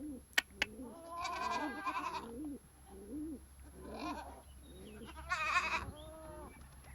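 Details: Farm goats calling in a series of bleats, several loud, quavering and harmonic-rich, interspersed with shorter low grunting calls; two sharp clicks near the start.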